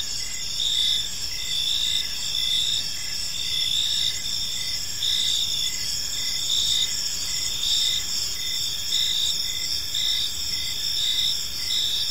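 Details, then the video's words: Crickets chirping in a park in the evening, a dense steady chorus of high pulsed trills layered at several pitches, with a lower chirp repeated roughly every half second over faint background hiss. "Cricket Sounds in a Peaceful Park"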